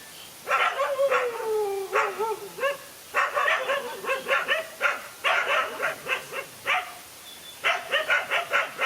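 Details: One dog taking on two male dogs: a drawn-out falling whine opens, then dense runs of harsh barks follow in rapid succession with short breaks.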